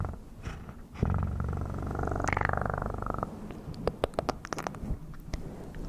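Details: A cat's purr rises suddenly and holds as a loud, even pulsing rumble for about two seconds, then fades into quieter purring dotted with crisp clicking noises.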